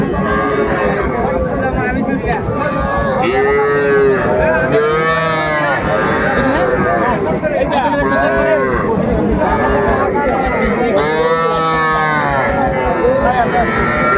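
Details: Small bulls and heifer calves at a crowded cattle market in Faridpur, Bangladesh, 4 September 2024; loud arching moos repeat every few seconds from several animals, over a constant background of people talking.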